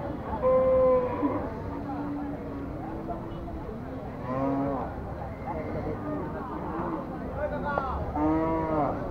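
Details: Several cattle at a crowded Bangladeshi haat cattle market call with short, rough moos, some rising and bending, spread across the recording. Constant crowd chatter and voices fill the background.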